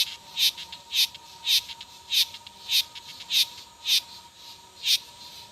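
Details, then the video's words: Cicadas singing: bright, buzzy pulses repeated roughly twice a second, each a short raspy burst, over a steady faint high tone in the background. "O canto das cigarras"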